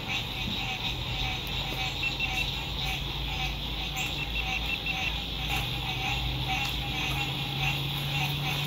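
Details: Sunset at a lakeside RV campsite in spring 2021, with frogs singing in fine weather: a loud, unbroken churring chorus of fast pulses fills the scene over a steady low drone of distant road traffic.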